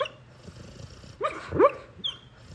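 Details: Sleeping pit bull, a large pet dog, giving a brief run of whiny, rising and falling yelps and little growly whimpers, with a high squeak near the end, against a faint low hum indoors.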